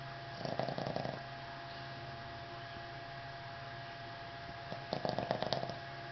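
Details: Henry, a Boston Terrier, snoring: two bursts of rattling, buzzy breath noise, the first near the start and the second about five seconds in, separated by a quiet steady hum in a small room.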